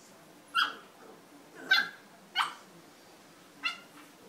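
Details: Bullmastiff puppies at bedtime, heard in close up: four short, sharp yelps or whimpers, each a brief rising-falling cry spaced about a second apart, over a quiet room background.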